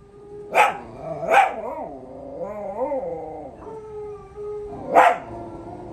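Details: Pups respond to a howl challenge. Two quick barks lead into a wavering, undulating howl, followed by a flat drawn-out tone and a final sharp bark.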